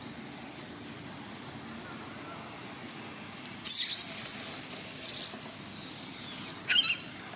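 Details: Baby monkey Paisley crying while asking her mother Princess for help as the mother ignores her; very high, thin squealing whine held for nearly three seconds, preceded by short chirps and followed by sharp squeaks.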